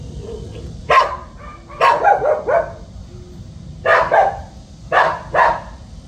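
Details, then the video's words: Dog guarding the house, giving sharp broadband barks, single and in doubled or tripled bursts, spaced irregularly across a few seconds, with a low steady hum underneath. "집잘지키는 강아지"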